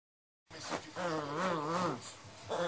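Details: Cutelo, a 10-year-old black and white Lhasa Apso, grumbles and complains as he settles his bed before sleep each day. He gives a wavering, whiny moan about two seconds long that rises and falls, then starts again briefly.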